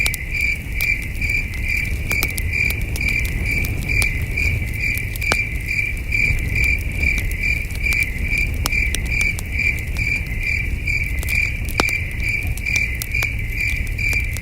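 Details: Crickets chirp through the night at a starlit camping spot, their high pulsed trill running unbroken and regular, accompanied by frequent campfire crackles and pops and a steady low background rumble.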